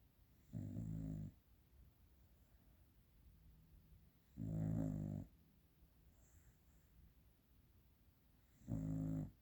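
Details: Dog snoring while asleep as the household sleeps; three low rattling snores roughly every four seconds, each about half a second long with a faint airy whistle, separated by quiet breathing and room hush.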